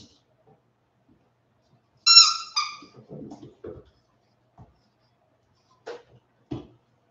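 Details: West Highland White Terrier puppies, 47 days old, back after an outdoor break: two sharp, high, harmonic yelps in quick succession, followed by softer low scuffling and scattered faint thumps.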